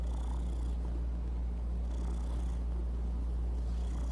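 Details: Low, continuous purr from a pet cat, an even rumbling hum with soft fluctuations and faint background rustle.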